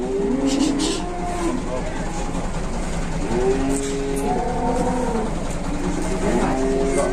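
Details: Large cattle, described as having elephant-like legs, during unloading: several short, bending lowing calls rising then falling, spaced a second or two apart, over engine rumble and people calling warnings.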